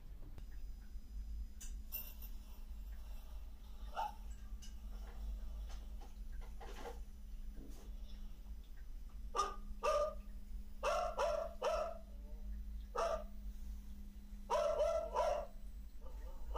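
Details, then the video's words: Neighbourhood pet dogs (not strays) barking in short bursts at a distance over a steady electrical hum and low rumble, recorded at night in Trindade; they bark nearly nonstop from dusk to early morning, over three days. "tem três dias que eu estou fazendo um trabalho de pesquisa em relação aos latidos dos cachorros da vizinhança"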